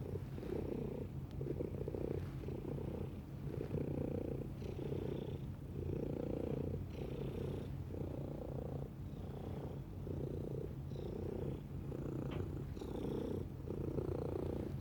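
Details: Domestic cat purring, a deep, even rumble that pulses with each breath, the rhythm repeating roughly every second and a half.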